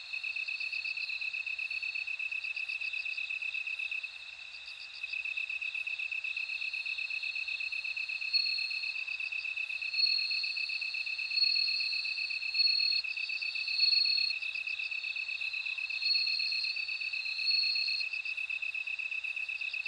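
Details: Bell cricket song: bursts of high, bell-like pulses rise and fall over a long, unbroken shrill insect chorus that dips briefly, then returns.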